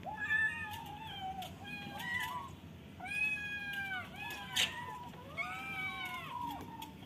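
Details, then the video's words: Kittens in a cage meowing, wanting to get out: a run of repeated, overlapping plaintive meows, each arching up then down, with background hiss and occasional sharp clicks. "Cutest kittens meowing, they wants to out of the cage"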